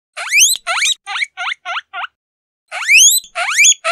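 A guinea pig gives loud, rising squeals in a quick series, then pauses before squealing again.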